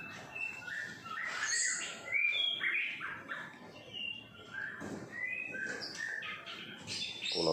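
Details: Long-tailed white-rumped shama, kept as a pet, singing in the morning outside a Singapore apartment: a lively, varied medley of whistles, trills and chirps in bursts, slightly distant, with faint background hum.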